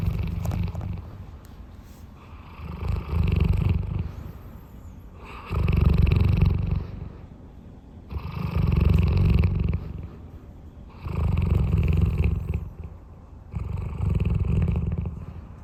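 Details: Roy, a large pet dog, snoring during a nap: deep, rasping snores in a steady rhythm, about one every two and a half seconds, with near silence between.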